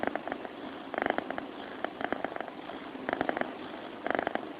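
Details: Sleeping cat purring indoors: rasping pulsed bursts that swell and fade in breathing-paced cycles, with stronger surges near one, three and four seconds and a soft hiss between them.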